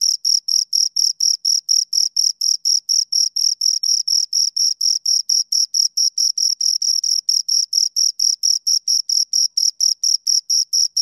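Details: Two crickets chirping close up, a steady high-pitched pulsed trill of short rasping chirps, roughly four per second, with a fainter higher overtone band; no other sounds present.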